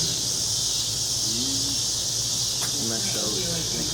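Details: Brood XXIII (Mississippi Valley) 13-year periodical cicadas fill a June 2015 summer evening in Mississippi with a steady, high, hissing drone while a man talks nearby.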